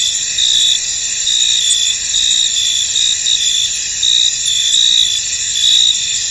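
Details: Misty-field crickets produce a bright continuous high-pitched chorus, punctuated by short louder chirp bursts that come somewhat irregularly, a little more than once per second.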